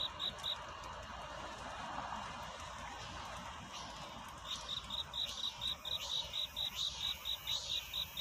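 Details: Night-time cricket courtship song: after a stretch of broad hiss, evenly spaced high chirps return about twice a second, rising above a steady noisy background.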